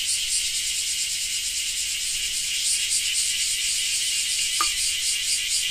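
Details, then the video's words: Cicadas in Japan giving a continuous high rasping drone, throbbing roughly twice a second, with one brief sharp tick near the end. "Japan Rain Sound 5of3 - Cicada 3"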